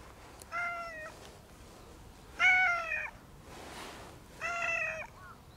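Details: Kinked-tailed brown tabby and white cat calling at someone's feet: three meows about two seconds apart, the middle one loudest, each slightly rising then falling, with soft rustling between calls.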